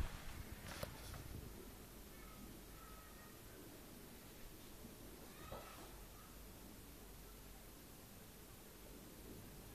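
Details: Persian cat jumping about indoors, letting out a few short, thin, faint meows, with rustling and thumps from its movement at the start and a quiet room hum throughout.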